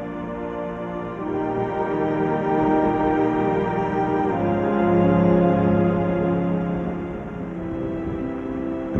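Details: Slow ambient organ-like music with sustained swelling chords, no animal voices.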